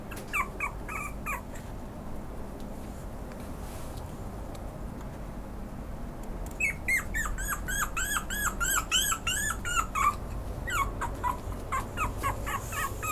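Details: Pomeranian giving high, thin squeaky yelps with arched, whine-like notes in quick bursts: a short cluster early on, then a long rapid run of repeated squeaks, about three or four per second, over a steady low background hum.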